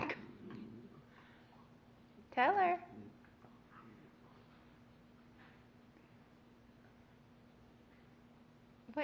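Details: Dexter the dog, trying to sweet talk Chica into returning the bone she stole from him, gives one short wavering, moaning whine indoors. A steady low hum runs underneath, and there is quiet room noise.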